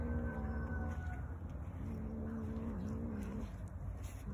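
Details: Domestic cat growling in a way likened to a motorcycle engine: a low, steady, rough rumble fills all four seconds without pause, with faint higher tonal lines drifting above it.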